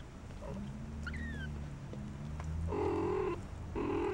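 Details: Four-week-old shaded golden Persian kittens, the K litter, playing in their corral: a few faint high thin mews early on, then two louder harmonic meows near the end over a low steady background hum.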